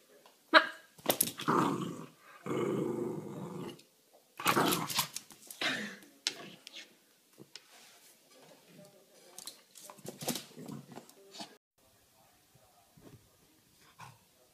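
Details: Charlie, a Cavalier King Charles Spaniel, gives a run of harsh, noisy barks and rough growls in bursts of about a second, followed by quieter grumbling and scattered softer yaps, with some human speech mixed in.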